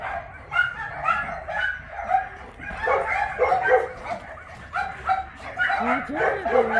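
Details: Many large shelter dogs at an abandoned-dog shelter in Yangsan, South Korea, bark together during exercise time; overlapping mid-pitched barks and yelps come in dense irregular bursts, with some rising whines mixed in.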